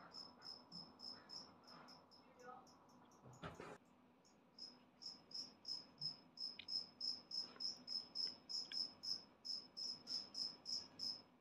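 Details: Newly emerged adult two-spotted cricket, a species of Okinawa parks and dry grassland, giving a very loud, clear 'piri piri piri' call. High, bright chirps repeat about three times a second, broken by a brief knock near the middle.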